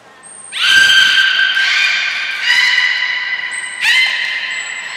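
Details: Belugas Gray, Nana and Mirai at the Port of Nagoya Public Aquarium during a training session on 7 June 2022: loud, squawking, harmonic-rich calls, held and overlapping in several strong bursts, with short high whistle tones above in an echoing hall.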